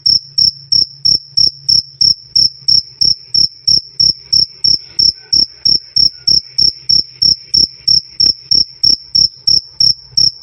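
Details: Loud, clear "krik krik" of a cricket used to tutor cage birds: a very even train of short piercing chirps, slightly over three per second, with only a soft low background hum.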